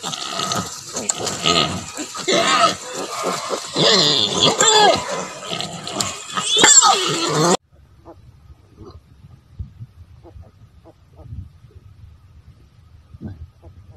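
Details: Native pigs, a sow with her piglets, raised to mother naturally: about seven seconds of busy overlapping grunts and higher squeals, then near quiet with only faint scattered snuffles.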